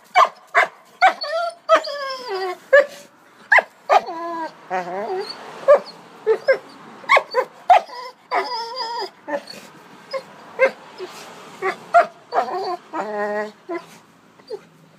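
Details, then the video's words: Dog 'talking' to a stone: a rapid run of short, sharp barks mixed with wavering, whiny yelps and drawn-out moaning tones, coming in bursts about every half second throughout, with brief quiet gaps between outbursts. "Funny Dog Talks With Stone"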